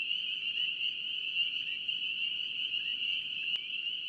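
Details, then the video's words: North Carolina spring peepers sounding in a thick high-pitched chorus of overlapping peeps, steady throughout, with one brief sharp click near the end. "NC Peeper frogs"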